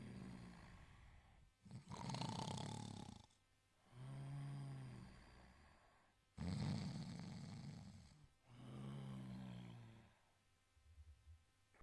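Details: An Italian Greyhound snores while asleep, each rough, rattling breath in followed by a low, humming breath out.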